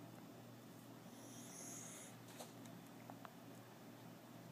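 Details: Sleeping foster dog Kona of Red Collar Rescue lets out a single soft, high whistling snore lasting about a second, followed by faint clicks and rustles against a constant low background hum.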